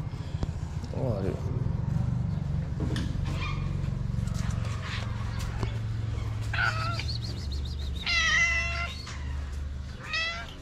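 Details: Several abandoned cats in Morocco gather as food plates are set down, one after another coming for a share; high harmonic meows rise and fall around six to ten seconds over a steady low hum and handling noise.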